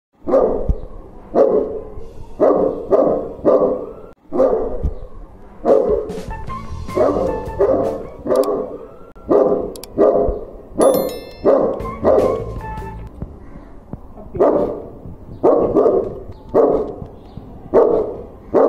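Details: Domestic dog meeting a stranger, barking repeatedly in short, sharp bursts roughly twice a second across the whole stretch, with a brief pause near four seconds; faint tonal music drifts in the background midway.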